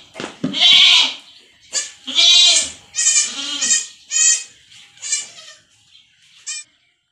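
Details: Goat kids on a farm in the Philippines being injected with iron against stunted growth: a run of loud, harmonic, wavering bleats, about six calls, each lasting under a second and spaced roughly a second apart, fading toward the end.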